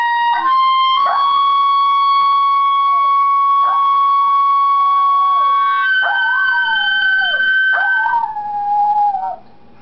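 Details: Dog named Kita howling at high third-octave clarinet notes that sound like a siren: drawn-out wavering howls sliding down from high to lower pitch, four times, layered over the clarinet's long steady tones.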